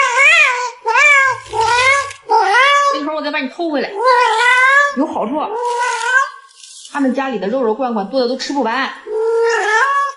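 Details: Domestic cat at home meowing over and over, each call an arched rise and fall, packed closely across ten seconds, with a person's voice mixed in.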